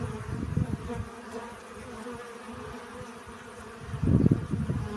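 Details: Honey bees gathering pollen hum steadily in a low drone, partly masked by loud, rumbling low-pitched bursts at the start and again near the end.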